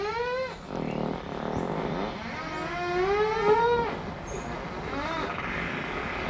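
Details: Common dolphin (Delphinus delphis) sounds mixing two types: whistles sweeping up and down in pitch, with bursts of rapid clicks.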